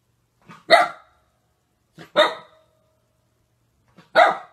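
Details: Golden Retriever barking at home: three sharp, loud single barks spaced about one and a half seconds apart, each preceded by a soft short grunt, with quiet room in between.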